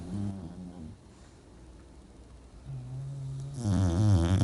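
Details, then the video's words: English bulldog snoring while asleep, from a snoring contest among dogs: short low buzzy snores at the start, a steady hum near three seconds, then a louder rattling, wavering snore at the end. "English Bulldog Snore Contest"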